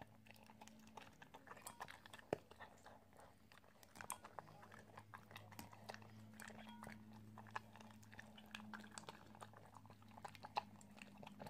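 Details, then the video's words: Italian greyhound eating indoors, a quiet stream of crunchy chewing and biting clicks scattered throughout, over a steady low hum. "Italian greyhound eating ASMR"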